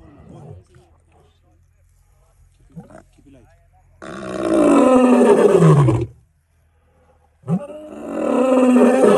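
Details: Male lion roaring extremely close up in the Sabi Sands: after soft sounds, two long, deep, rough roars, each about two seconds, with falling moaning tones and a short silence between them.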